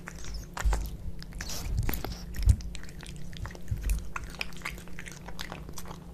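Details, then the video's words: Pet cats Kitkat and Leo eating tuna fish wet food, close up indoors: irregular wet chewing and lapping clicks with a few sharper bites, low mains-like hum underneath. "Cat Eating Tuna Fish Cat Food ASMR"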